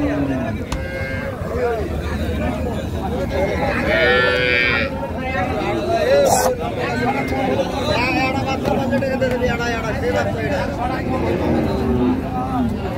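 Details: Cow lowing amid a busy cattle market at Raniganj hat, Dinajpur, on 8 May 2025, where cows with calves are being sold; drawn-out, deep moos rise through constant bargaining voices and crowd chatter.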